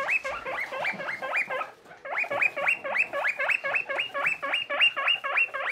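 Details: Little skinny guinea pig Boniface, hairless pet living with friend Pushok, gives a steady series of sharp upward-sweeping squeals, about three to four each second, with a brief pause near the start and faint shuffling beneath.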